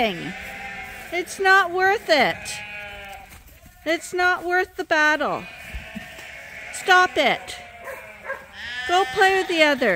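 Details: Sheep on Ewetopia Farms being let out to pasture for the first time this year: sharply sliding bleats in bursts, some falling steeply, separated by short quieter stretches.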